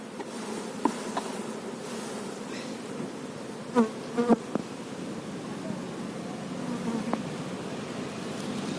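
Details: Many honey bees humming around a kept hive where a queen bee is shown: a continuous low drone with a few short knocks and faint voice fragments in between.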